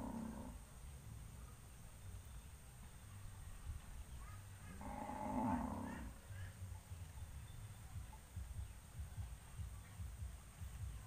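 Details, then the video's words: Cattle assembled on a road ahead of going out to pasture: the tail of one moo at the start, then a single full, harmonic low call of about a second midway, amid continuous low-pitched rumble. "suara sapi moo"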